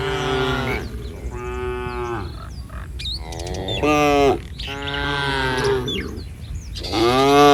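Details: Village cattle wandering along a street in a herd, several rich harmonic moos in succession, each around a second long, some rising and bending, with small bird chirps between them.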